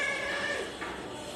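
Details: A talkative house cat, wanting its owner's lap instead of letting her work, answers with a short, harmonic-rich meow that fades, then a softer second note; owner speaks Bengali before and after.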